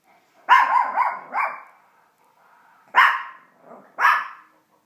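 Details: Female Chihuahua barking at animals and cartoons on television indoors: a sharp yappy bark breaking into quick rough yips, then after a pause two more high sharp barks with a soft whine between.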